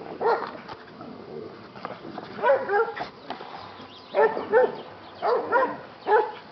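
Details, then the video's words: Yellow Labrador retriever named Buddy, a rescue dog, barking while play fighting: growly, harmonic barks often in pairs, arriving in bursts separated by short pauses, with faint shuffling between. "Yellow Lab play fighting"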